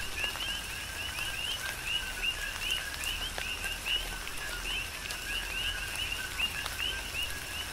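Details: Chorus of coqui frogs on the Big Island of Hawaii during a tropical rain shower: many overlapping two-note upslurred whistles near the same pitch, repeated several times a second, over steady rain patter and drip clicks.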